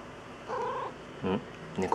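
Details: Shio, a pet cat known as a talking cat, shown while nuzzling, gives a drawn-out level meow followed by two short, clipped calls, with a person speaking quietly nearby.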